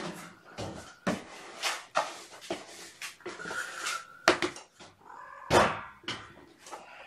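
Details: Sleepy kittens waking gently indoors on weigh-in night, snuggled against a person. Short thin mews, one rising harmonic cry among frequent rustling, shuffling and handling thumps.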